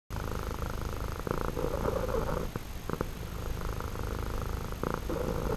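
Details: A male house cat purrs continuously, a deep, steady, two-toned rumble likened to a little engine. A lower and a slightly brighter tone alternate as he breathes in and out.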